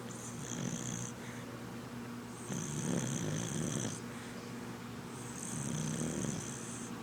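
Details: Sleeping red cocker spaniel Sadie snores loudly, each breath a rough rumbling snort with whistling hiss, about three cycles in seven seconds.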